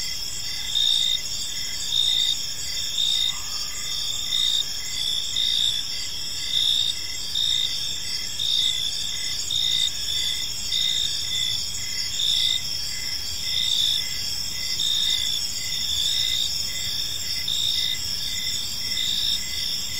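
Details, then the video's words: Crickets chirping on an evening in a peaceful park, a dense chorus of high pulsed trills layered in several bands, swelling in soft bursts roughly every second over a steady hiss; a brief faint tone near the start. "Park Serenade: Cricket Sounds in a Peaceful Park"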